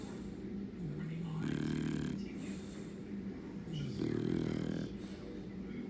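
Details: An English Bulldog named Patch snores with eyes open, in low, rumbling breaths with rattling, congested bursts.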